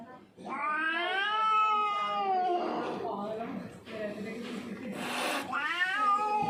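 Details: Hungry, thirsty, frightened street cat, a lone stray arrived from elsewhere, giving a long drawn-out yowl that rises then slowly falls, followed by softer mixed sounds, a short noisy burst, and a second rising wail near the end.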